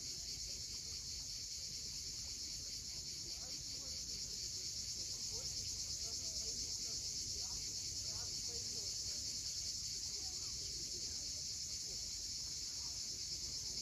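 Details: Unceasing high, bright buzz of cicadas at sunset above the steep shore of Cape Fiolent, Crimea, with gentle wave noise underneath.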